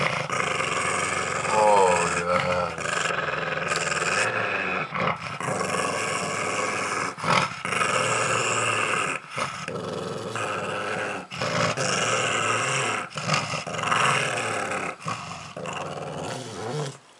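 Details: Milo the pug growls almost without pause while chewing a pumpkin squash indoors around Halloween, a low, gravelly rumble broken by brief catches for breath, with a few spoken words near the start.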